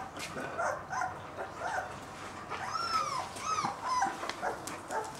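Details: Two-week-old German Shepherd puppy giving short high whining whimpers that arc up and down, a few squeaks scattered among handling noises and background rustle.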